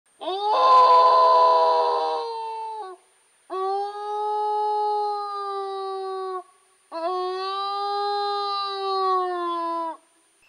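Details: Wild wolves of the newly discovered Yowlumni Pack, Sequoia National Forest, Tulare County, California, found this summer, howling to communicate and locate each other. A rough, raspy opening howl is followed by two long, steady, smooth howls of about three seconds each, with clean harmonics and gentle falling ends.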